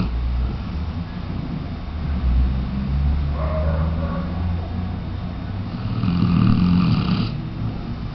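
A Weimaraner snores in low, rumbling breaths, with soft nasal rasps over a steady background hum.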